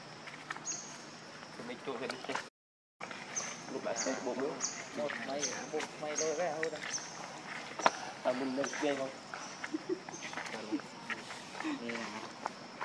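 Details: Baby monkey named Leo crying loudly while begging its mother for milk: a series of wavering, harmonic wails that rise and fall, with clicks, rustling and a steady high insect whine behind.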